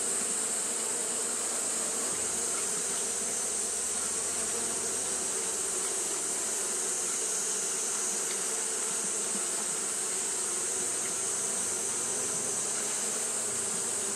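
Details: Continuous fanning drone of Japanese honey bees on a hot day, a low buzzing hum with rapid flutter, a faint deeper rumble in places, and a steady high-pitched hiss above.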